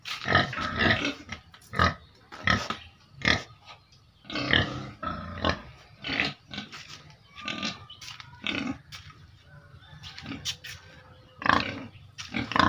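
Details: Pigs living in a cage produce a busy stream of short rough grunts and squeals, some overlapping, with irregular spacing and a few louder snorts rising above the chorus.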